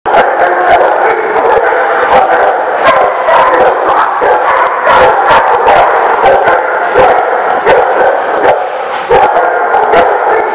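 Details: Dogs barking at The Barking Lot on 6/19/17: a dense, continuous chorus of overlapping barks and yips, loud and steady, broken by sharp clicking knocks throughout.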